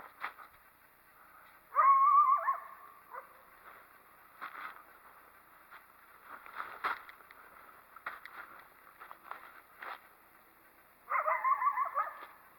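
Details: Coyote that disliked someone approaching near a possibly active den lets out two loud wavering bark-yelps about nine seconds apart, with fainter scattered barks and clicks in between.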